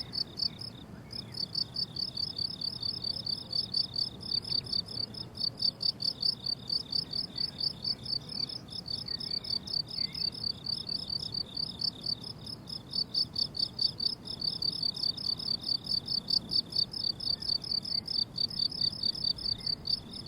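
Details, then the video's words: Crickets on a blooming summer meadow, a steady chorus of high, rapid chirps pulsing about twice a second, with no music or talking and only a faint low rumble underneath. "Relaxing Cricket Sounds on a Summer Meadow"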